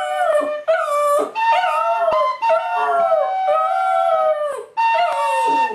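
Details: A Border Terrier sings along to Silent Night with drawn-out, rich howls that bend and slide in pitch. Notes last one to two seconds and sag at the ends, with short breaks between phrases.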